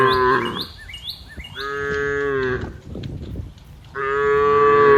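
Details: Cows in the middle of green fields: three deep, drawn-out moos, the first short, then two long steady ones, with faint chirping birds behind.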